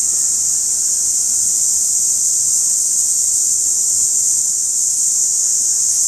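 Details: Periodical cicada calling from trees, as heard in the rainy season: a loud, unbroken, high-pitched hissing buzz that holds steady at one level for the full six seconds, with no pauses or other sounds.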